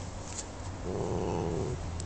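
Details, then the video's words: Mee Mee, a young Norwegian Forest Cat, growls while guarding a dragonfly she caught in the backyard: a low, rough rasp swelling for about a second after a quiet start, with a person's voice nearby. "Mee Mee Defends Her Dragon Fly"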